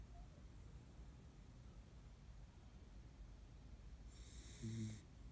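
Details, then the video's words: Kaninchen dachshund from a household of three sisters, napping deeply by a window in the afternoon. Quiet low rumbling breaths, then a brief snorting snore near the end, with a thin high whistling tone just before it. "カニンヘンダックスフンド いびき"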